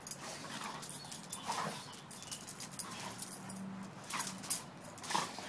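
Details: Pitbull and German Shepherd at play together, one giving a low drawn-out growl in the middle, with a shorter growl after it, amid sharp scuffling thumps and broadband rustling.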